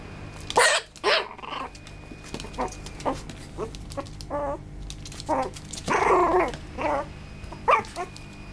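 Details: Young male Maltipoo barking: high-pitched yappy barks and squeaky yelps come irregularly over about eight seconds, some sharp and short, others drawn out and wavering, against a low indoor hum.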